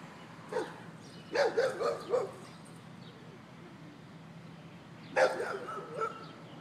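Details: A dog barking at a man: a quick run of four barks, a pause, then another short burst of barks, with people talking nearby.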